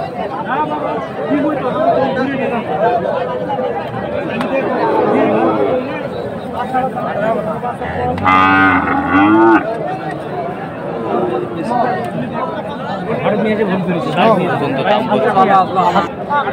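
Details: Sahiwal breed bull calves at a livestock market on a Monday, where traders buy cattle for resale. A single drawn-out, harmonic moo of about one and a half seconds rises midway through steady, loud crowd chatter and talking.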